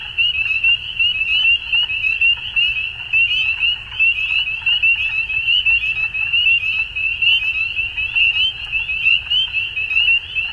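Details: At dusk, frogs keep up an unbroken chorus of high rattling trills, the pulses rising and falling in intensity about once a second, with a soft low rumble beneath.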